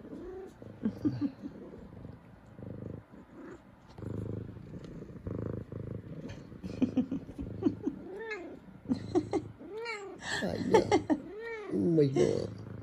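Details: An excited, happy female F2 Savannah cat greets her owners home from work in the morning with a run of rising-and-falling chirpy meows and purrs while giving head nudges.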